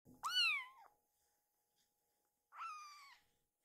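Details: Sleepy rescued baby kitten begging its mother for bedding: two high, clear meows, the first longer and slightly rising then falling, the second shorter and flatter, separated by about two seconds of quiet.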